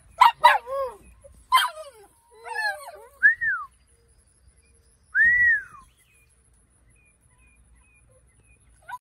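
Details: Several 8-week-old Kelpie/Border Collie puppies let out sharp yelps, then rising-and-falling squeaky whines, with longer silent gaps between the last calls.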